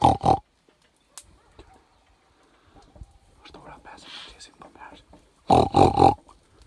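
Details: At 4:54 a.m. on 26 July 2021, in meadows at the mountain edge near the village of Pobergje, a wild boar met by surprise gives harsh, squealing grunts in short bursts, with quieter rustling between them.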